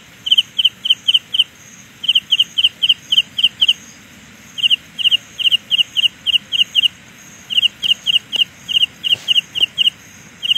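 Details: Carolina ground cricket's sound illusion: bright high chirps in rapid runs broken by pauses of about a second, over a thin higher trill, with a few faint clicks in the background.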